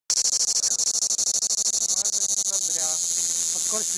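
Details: Large cicadas sitting in Crimean pistachio trees on the Black Sea coast at Fiolent, Crimea, shrilling: a dense, high, pulsed buzz at a steady rate, smoothing into a continuous hiss, with faint speech near the end.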